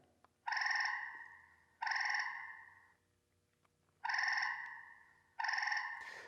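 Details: A gray treefrog call played back from a recording device gives loud, musical trills of about a second each with short pauses; this city- and backyard-dwelling frog is often mistaken for an insect or bird.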